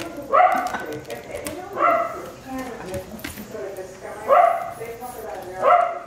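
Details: Wire Fox Terriers at play: Paisley, a rescue female from a puppy mill, playing hard to get while Felix tries to get her attention. Four short, high yappy barks spaced about a second or more apart, with a person talking between them.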